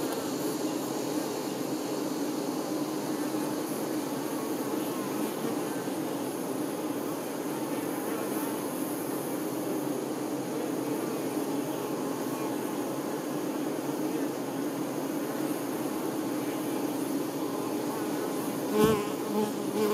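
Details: Honey bees, workers waiting on the queen, hum in a constant deep drone; near the end a single bee buzzes sharply past, louder for a moment.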